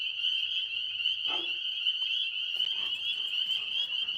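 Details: Tree frogs calling at night in a steady, high-pitched chorus that never pauses, heard from a porch where an Alaskan Malamute sits listening.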